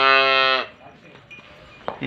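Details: Jersey Friesian cow from Bunga Hayat, Pakpattan, lowing in a short, steady, deep moo of about half a second that cuts off abruptly, followed by near silence with faint high tinkling.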